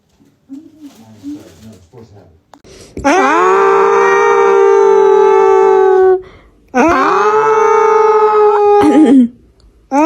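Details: A cat giving two long, drawn-out yowls, each swelling quickly then holding a steady, strained tone for about two to three seconds, with short murmurs and a brief rising cry between them.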